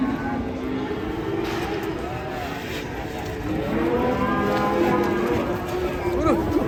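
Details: An enraged bovine on a lengthy rope lows in long, wavering, harmonic moos. Excited human voices and traffic noise mix in around the calls.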